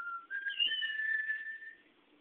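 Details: Elderly female Great Dane whistling through puckered lips, a habit since she was young, holding one long, clear, sustained note with a brief higher overtone, then trailing off into quiet.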